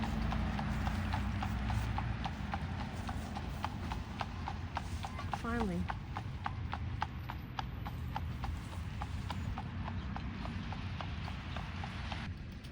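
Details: Amish buggy horse on the road in Lancaster County, Pennsylvania, fall 2025, with crisp, quick clip-clop hoofbeats throughout, a brief rising voice-like sound midway, and background traffic rumble.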